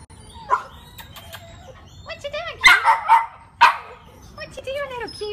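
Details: Rat Terrier giving high, rising-and-falling whines with a few short sharp barks in between, irregular and excited, with human voices mixed in.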